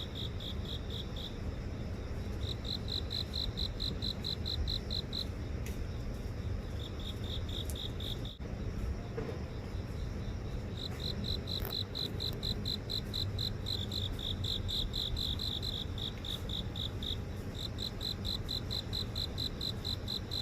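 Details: Garden insects chirping in downtown Seoul, phone recording during a walk near an office: bright pulsed trills repeated in runs, a faint second buzzy layer higher up, constant low traffic rumble beneath.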